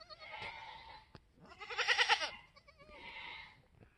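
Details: Black mini Alpine buckling with white frosted ears and nose, newborn on a homestead March 13, 2021, third kid born that day. Three bleats: a wavering tonal cry, a louder harsh quavering middle bleat, then a softer drawn-out one.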